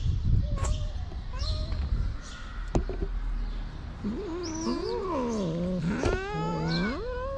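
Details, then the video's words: Hungry stray cats on a street in Morocco, begging for food from the person who feeds them daily; several drawn-out, wavering meows rise and fall in the second half, some overlapping, with a short human remark early and street background. "Cute stray cats want food from me because they are hungry all the time."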